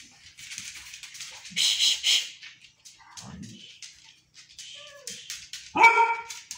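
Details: Three dogs barking: a burst of harsh, noisy barks around the second mark, quieter scattered sounds, then one loud harmonic bark near the end, with faint music in the background.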